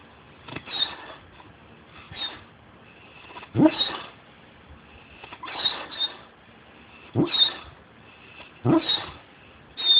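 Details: Large hound dog asleep and snoring after two tiring days of play with other dogs, jowls puffing out: breathy, puffing bursts about every one and a half to two seconds, some ending in a thin whistle, quiet room between.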